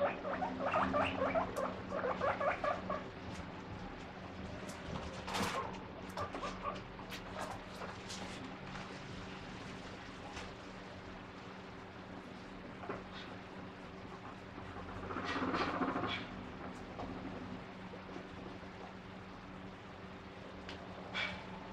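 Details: A guinea pig wheeks in bursts of high, repeated squeaks over household clatter, coming out when the fridge door opens and begging for the vegetables kept inside.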